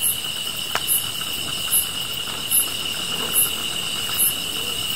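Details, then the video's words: Grass insects by a fire produce an even shrill buzz and very high chirps recurring roughly each second, six in total, with one sharp crackle near the start. "풀벌레 소리"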